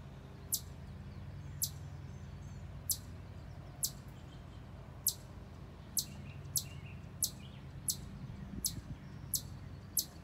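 A chipmunk sounds its alarm with a string of sharp, high-pitched chips, spaced roughly a second apart and very even in rhythm. A low, steady rumble of background noise runs beneath the calls.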